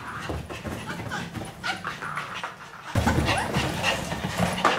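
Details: Maltese dogs after a bath, a father, mother and their daughter born August 2018, excitedly running around; soft rapid panting and snuffling breaths with scattered rustling, a louder burst of movement noise midway.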